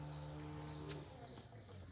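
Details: A cow moos in a low, steady droning tone for about a second before fading, while a person nearby repeatedly calls out "hamba" and urges it to eat.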